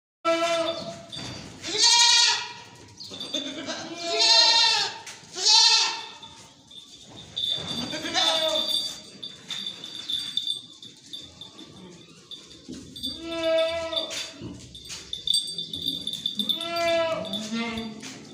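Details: Beetal goats on a farm; loud wavering bleats with rich harmonics, several in quick succession early on, then more bleats from other goats later, overlapping each other, with faint background chatter.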